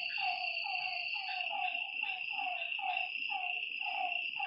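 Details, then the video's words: Repeated short, dropping croaks from frogs beside a lake at night, coming in quick succession over a loud, even insect trill. "Lakeside night creatures and frog sounds"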